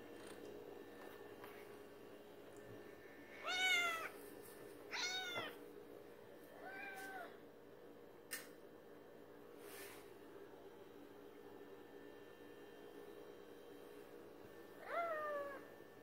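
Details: Cats demanding late-night feeding indoors: four harmonic, arching meows spaced apart, near 4, 5, 7 and 15 seconds, with a steady low hum and a couple of brief clicks between calls.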